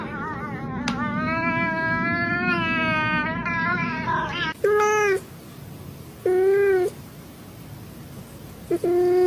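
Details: Cat making odd, spacey sounds: a long, steady, slightly wavering tonal cry lasting about four seconds, followed by three short, flat, clipped calls spaced a second or two apart.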